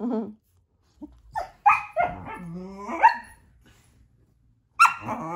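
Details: Young female Border Collie waking her owner in bed one morning, impatient to get going. A drawn-out, wavering moan that slides downward, broken by short sharp yelps, then a final loud whiny bark.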